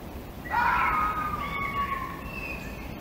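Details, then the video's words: A single long fox scream, a piercing nasal wail that begins abruptly, holds and slowly slides downward for well over a second, then trails into a thinner higher tone, with soft background hiss. "Gerçek Tilki Sesleri"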